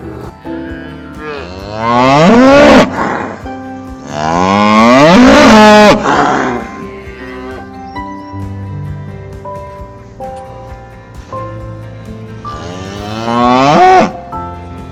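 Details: Cow mooing three times, each a long, loud, wavering low moo that rises and falls, separated by quiet gaps, with steady instrumental music playing underneath throughout.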